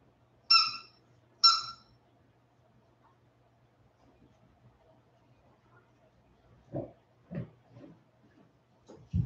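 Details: West Highland White Terrier puppies, 47 days old, back after an outdoor break: two short, high, harmonic squeals about a second apart, then quiet soft shuffling and a few low muffled grunts.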